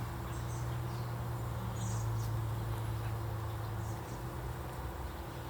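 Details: Honey bees swarming a half-filled frame of a 25-day-old hive, nectar going in at the top, during an inspection; a steady low drone that fades slightly near the end, with faint distant chirps.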